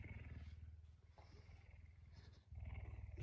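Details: House puma at dawn after rousing its owner very early. A steady, deep, throbbing rumble that dips briefly midway and then swells louder again.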